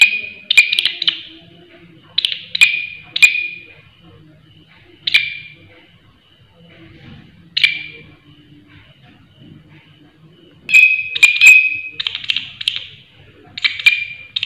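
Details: A loud-voiced grasshopper gives widely spaced shrill chirps, single or paired, with long quiet gaps. It then breaks into a denser run of ringing buzzy bursts toward the end, over faint low background noise.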